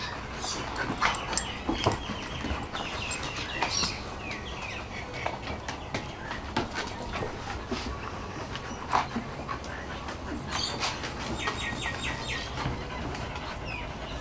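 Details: Rolex, a female Shar Pei, and Ellie, a Kelpie cross, meeting again after five months apart; thin high whines come in bursts between scuffles, claw taps and brief human voices.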